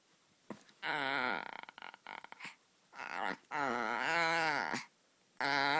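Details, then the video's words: White Chihuahua puppy making funny sounds: drawn-out, wavering, harmonic whining moans in four bursts, the longest more than a second, with short choppy sputters between them and quiet pauses. "Cute white chihuahua puppy making funny sounds"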